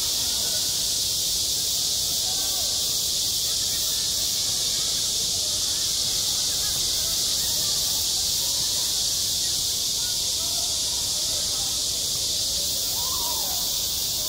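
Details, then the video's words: Cicadas singing in midsummer at a school playground: a dense, unbroken high buzzing chorus with steady loudness, over faint wavering tones lower down. "한 여름 운동장에서 매미가 울고 있다 - 여름의 소리, 학교 종소리, 매미 울음소리"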